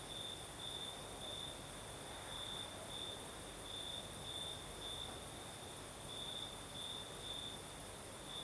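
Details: Night in southern Crimea: crickets sing in a continuous high trilling tone that swells into brighter pulses every second or so, against a soft breeze and a thin, constant shimmer of higher insect noise.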